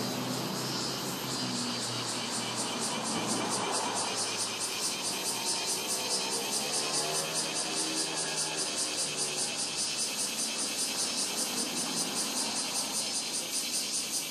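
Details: Robust cicada at Rokugo Shrine, Ota, Tokyo, recorded on a Sony PCM-M10 the summer cicadas started near 20 July. Loud, rhythmically pulsing shrill buzz repeats steadily throughout while a vehicle engine swells and passes mid-recording.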